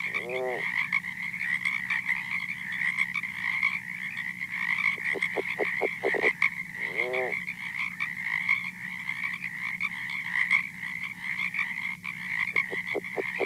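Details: California red-legged frog, so quiet that it is barely audible at 50 feet, calling on a recording. Several brief trains of low, rapid grunting pulses and two harmonic rattles sound over a continuous shrill background hum.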